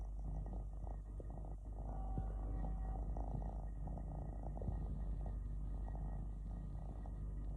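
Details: Three-legged house cat relaxing and purring, a deep, even rumble that swells and fades gently without pause, with a brief faint higher tone partway through.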